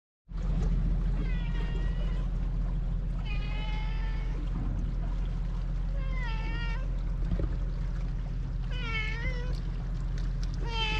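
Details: Tuxedo cat met on a cat island, approaching while chattering in cat talk; five drawn-out, wavering meows spaced a few seconds apart over a constant low rumble of wind or engine noise. Filmed on a GoPro HERO8.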